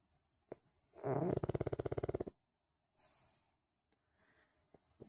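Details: A pet pug sleeping in, snoring: one loud rattling, pulsed snore lasting just over a second with rapid regular throbs, followed by a softer breathy hiss and a few faint clicks in a small quiet room.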